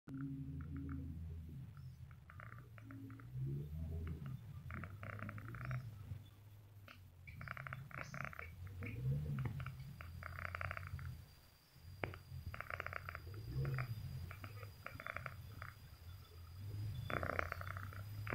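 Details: A sleeping domestic cat snores in a low, steady rumble with an uneven pulsing texture that swells and fades. Faint mid-pitched sounds come and go in the background.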